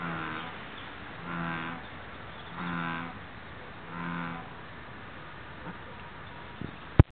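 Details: American bullfrog calling in Satosho, Okayama prefecture, Japan: four deep, droning, moo-like croaks, each under a second long, repeated about every 1.3 seconds, followed by quiet and a sharp click at the end.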